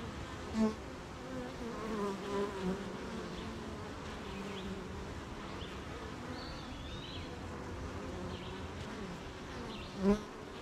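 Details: Many honey bees humming at their hive on a rainy morning while making honey; a continuous low drone, with a few brief louder bee passes near the start and end, and thin, distant bird whistles in the middle.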